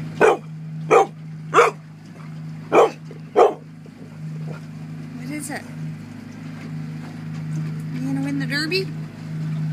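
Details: Dog barking at a sea lion to make it back off from a caught Coho salmon at a salmon derby in Port Alberni, 2013: five sharp loud barks about every half second, then a steady engine hum and faint voices.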